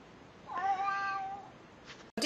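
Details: Pet cat saying hello: a single quiet, drawn-out meow lasting about a second, slightly falling at the end, indoors with faint background hiss and a short click just afterward.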